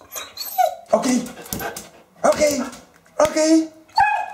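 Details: Female Eurasier dog at home, screaming and 'talking' to her owner because she wants to go out for a walk: repeated high, wavering yowls in short bursts, answering a man's voice speaking between them indoors.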